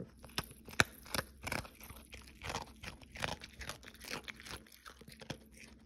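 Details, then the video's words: Cookie, a Pomeranian dog, eating in December in an ASMR recording: crisp crunching bites come in quick irregular bursts, sharp clicks and crackles over a quiet indoor background. "Cookie 🤍ASMR"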